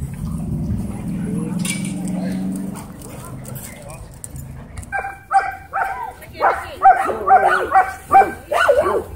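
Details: Dogs at a dog park, a Dwarf Staffordshire Terrier trying to boss an American Bully: low voices and rumble at first, then a run of sharp, harmonic barks, about eight short bursts in quick succession in the second half.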